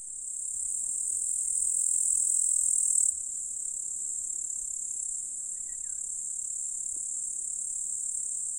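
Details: Grasshoppers in a meadow in the Russian countryside in July, near hills and a lake, making a continuous, high-pitched shimmering buzz that holds steady throughout.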